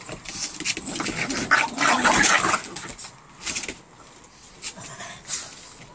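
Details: Two Boston Terriers play fighting on patio furniture, a rough, noisy scuffle of broadband growls and snarls building to a dense burst near the middle, then shorter separate yelps and grumbles tailing off.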